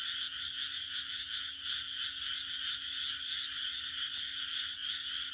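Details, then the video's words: Many frogs croaking at once on a June night in rural Japan, a fast rattling, pulsing high chorus that gently rises and falls in strength without stopping, a faint low hum beneath. "日本の田舎の６月の夜 蛙の鳴き声 A June night in the countryside of Japan, the croaking of frogs"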